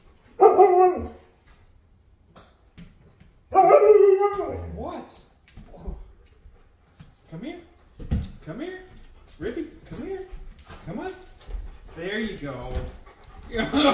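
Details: Two Alaskan Malamutes, a big male and a smaller female, vocalizing indoors to demand attention out of jealousy. Two loud, drawn-out, harmonic moaning woo-woo calls come early, followed by a person talking coaxingly and quieter dog sounds.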